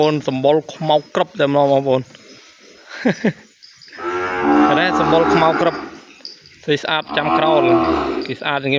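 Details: Separated from its mother, a young calf bawls in its pen, calling for her. Short broken cries come first, then a long, strained, wavering moo, followed by more brief calls.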